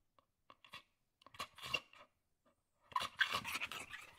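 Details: A female Staffordshire Terrier indoors pants in quick, breathy rasps, with a few faint whimpers and vocal reactions mixed in.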